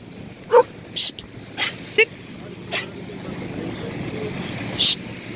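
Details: A female Cane Corso puppy at a lake gives short, sharp, isolated barks at a big object people are assembling or taking apart, which she finds scary.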